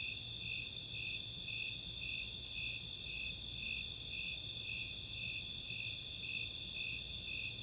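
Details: On a summer night in Boulder, Colorado's Chautauqua open space, Snowy Tree Crickets and Four-spotted Tree Crickets sing; steady rhythmic chirps about twice a second over a continuous high trill, with brief fine ticking at the very top early on.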